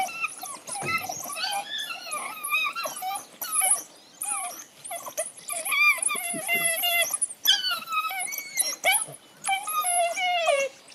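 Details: African wild dogs fighting in a tug of war over a kill in Laikipia County, Kenya, squeal and twitter in high, overlapping bursts, several animals calling at once.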